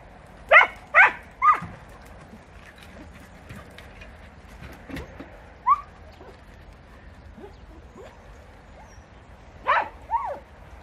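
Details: Hunting podencos in bramble scrub of Campo Arañuelo, Spain: three quick yelping barks open the passage, then scattered fainter yips and a final pair of sharp barks near the end.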